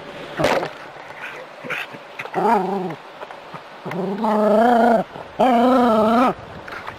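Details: Hose water splatters at first, then a Jack Russell Terrier at play with the spray gives a short wavering whine followed by two longer, louder, sustained moaning howls near the end.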